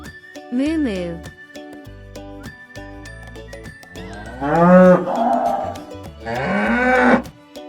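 A cow gives three deep, drawn-out moos, the last two longer and louder, over a light children's music backing.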